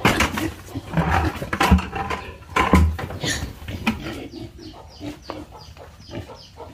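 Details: Farm pigs grunting with deep, low, throaty notes, several heavy grunts close together in the first three seconds, then softer, scattered snuffles.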